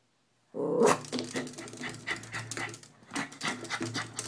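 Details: Maltese dog at home, worked up after spotting a squirrel out the window: a brief high whine opens, then rapid, breathy, broadband huffs and snorts in an uneven burst, with a low steady hum underneath.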